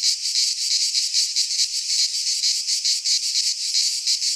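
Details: Cicadas singing in midsummer in a Greek pine forest: a dense, high, sizzling buzz pulsing in rapid throbs, about two or three a second, with no other sounds.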